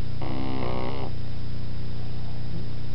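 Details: Snores from a sleeping pug puppy: one rough, nasal, rattling breath of nearly a second near the start, followed by quiet with only a constant low droning hum beneath.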